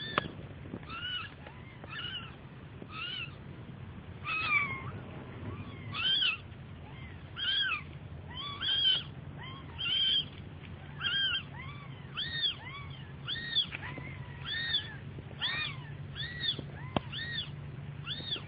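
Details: Baby cat crying persistently, a long run of short high mews that quicken and crowd together toward the end, some arching downward, with faint hum underneath.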